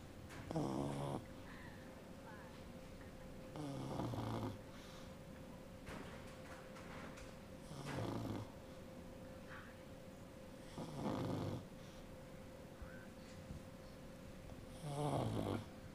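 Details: Pug mother snoring indoors while her 16-day-old pup dreams nearby. Deep, rattling snores recur roughly every three and a half seconds over a faint constant electrical hum.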